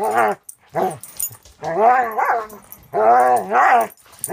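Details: A six-month-old Border Collie mix in rescue foster care in Wisconsin barking in play with another dog; loud, tonal, drawn-out barks in pairs, each pair separated by brief silence.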